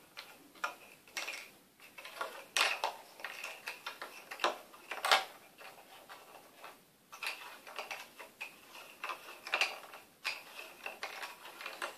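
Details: Irregular sharp clicks and taps in a small indoor room, with no animal calls heard.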